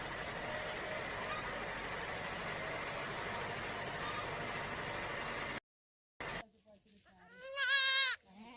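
A goat gives one loud, wavering, nasal bleat near the end, after a long stretch of steady hiss and a brief silence.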